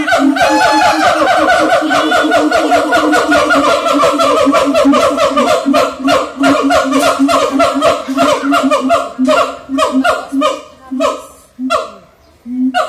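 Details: At Ragunan zoo, a siamang gives loud, rapid, honking barks in a fast repeated series.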